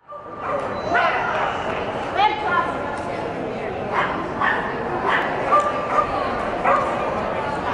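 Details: Irish Terrier named Brooke, 8 years old, running an AKC agility course; sharp broadband barks burst out at irregular intervals of about a second, over a steady murmur of arena noise and human voices.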